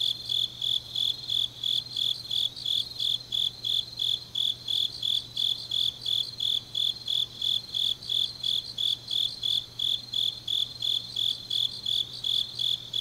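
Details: Grass insects chirping through a deep autumn night in Changnyeong, Korea, a continuous high pulsing song about three beats per second with a second fainter singer, and a low hum underneath.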